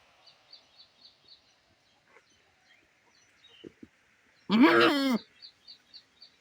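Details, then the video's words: Domestic female goat kept from grazing beside her sick kid, separated from her herd and crying for it; a single loud wavering bleat of about half a second amid soft repeated bird chirps. "boring sound of goat"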